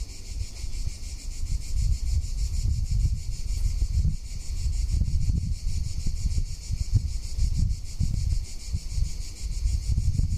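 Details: Cicadas in summer in Tuscany keep up a steady, high, hissing drone with a faint pulsing texture throughout, while heavy gusts of wind rumble loudly across the microphone underneath.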